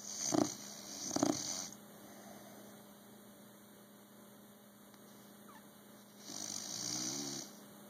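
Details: Bulldog snoring: two quick, grating snorts close together, then several seconds of quiet before a longer, softer, wheezy breath with a fluttering rattle, all against a faint background hum.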